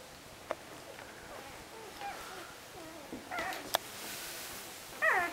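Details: One-week-old puppies of Banks and Mallie: faint, scattered high squeaks and short chirps through a quiet room, ending in a louder, strained, wavering whine with stacked overtones, plus a couple of sharp clicks midway.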